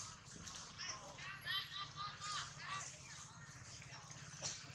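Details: Newborn monkey crying angrily while its mother lulls it to calm down: short wavering, whistle-like cries rise and fall in a quick irregular series over a steady low hum and high hiss.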